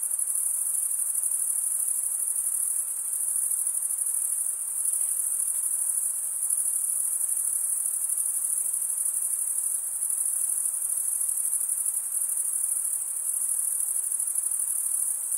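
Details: Summer night in the forest, with a chorus of crickets chirping: an unbroken, very high pulsing trill that holds level throughout, with only a faint low hiss underneath.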